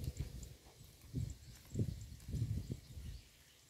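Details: Roadside grazing cow heard at close range, chewing in a steady rhythm of dull, low crunches, about one and a half per second, against faint outdoor hiss.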